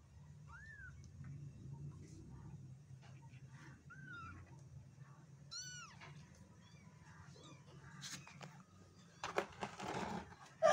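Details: Three soft, short meows from a black kitten, each a small rising and falling arc, spaced a couple of seconds apart over a steady hum, ending in loud rustling and bumping noises.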